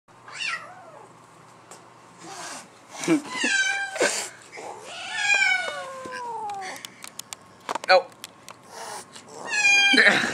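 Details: Black-and-white mother cat hostile toward her black offspring newly returned home, indoors: a series of drawn-out, wavering yowls and growl-like cries, some long and falling in pitch, with a person's voice and household knocks.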